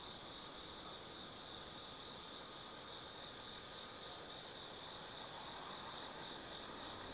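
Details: Night chorus of autumn insects in the forest of Tsukimi no Mori, Nanno, Kaizu, Gifu, Japan: a steady, shrill ringing drone holding one high pitch, with faint softer chirps woven through it.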